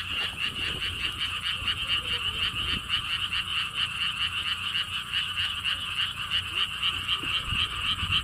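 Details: Lotus pond frogs at Siheung's Gwangokji lotus theme park, South Korea, producing a continuous, fast-pulsing chorus of nasal croaks stacked in two bands, rhythm close to four pulses a second, with light low-frequency background noise.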